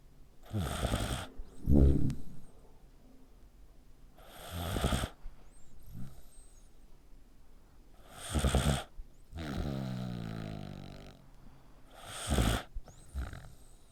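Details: Human-like snoring from a dog dozing with its neck squeezed: loud rasping snores recur roughly every four seconds, four in all, alternating with quieter fluttering, rumbling exhalations.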